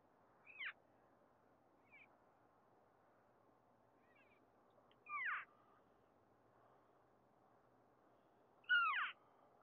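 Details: Female elk parading behind a house give unusual cries: brief, high squealing chirps that sweep up and down, four or five spaced several seconds apart over a quiet background.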